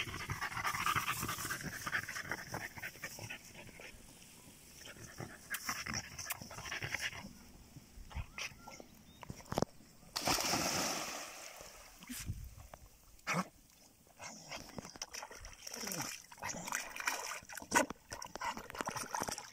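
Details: Panting from a German Jagdterrier kept out of +45°C heat: soft, airy bursts of breath that come and go in irregular runs, with handling noises and faint background hiss.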